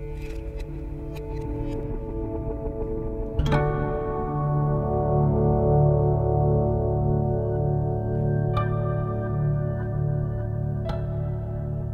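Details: Calm ambient music of plucked guitar notes over sustained low tones, with a few soft chime-like accents and no animal voices.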